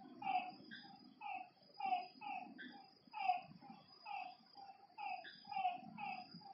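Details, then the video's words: Frogs calling at night at a lakeside, clipped falling notes repeated by several overlapping voices, set against a high continuous insect buzz and a soft low rumble. "Lakeside night creatures and frog sounds"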